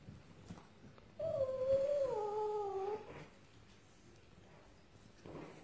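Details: Russian Blue cat giving a single drawn-out meow of about two seconds, clear and tonal, starting with a brief rise then sliding slowly downward with a slight waver, in an otherwise quiet setting.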